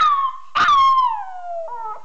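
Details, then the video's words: Small dog howling while enjoying himself: a long tonal howl with rich overtones, a brief louder burst near the start, then a slow downward slide ending in a lower, wavering note; no other sounds. "Cute Talking Dog"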